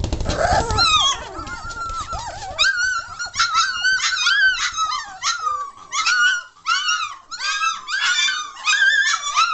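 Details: Several German Shorthaired Pointer puppies, aged three weeks and one day and becoming noisy; a rumbling scuffle opens, then bursts of high arching squeals and whines follow in quick clusters, one pup after another.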